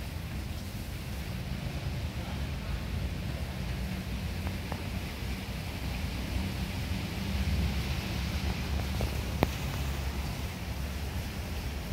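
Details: Steady low rumbling noise with faint rustling and a hint of distant speech; no animal voice is heard.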